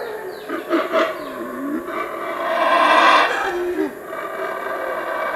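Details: Howler monkey roaring in the Chiapas jungle, a deep rasping roar rising and swelling to a loud peak near the middle, then falling away, with lower tonal groans before and after.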